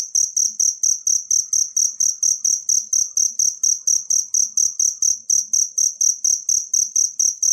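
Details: Natural cricket chirping for songbird tutoring: a continuous series of sharp, high-pitched pulses, about four each second, steady in loudness and pace, with faint low-pitched ticking beneath.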